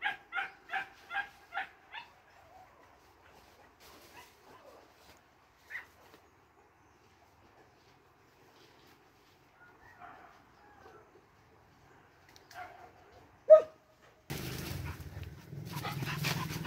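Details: Hunting dogs let loose into a forest in cool weather give a quick run of sharp, high barks, then quieter yips, before a burst of rough noise.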